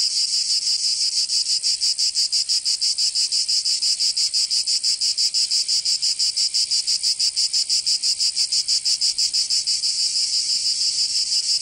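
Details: Cicadas singing in summer in Provence, southern France: a dense, shrill, high buzzing chorus that pulses steadily about three times a second, with no other clear sounds.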